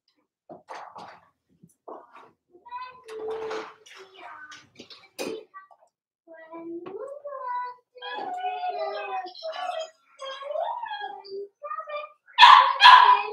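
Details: Four-week-old Cavalier King Charles Spaniel puppies from Daisy's litter, in their indoor pen, give a busy stream of thin, tonal whines and squeaks, some rising and falling, with louder overlapping yelps near the end.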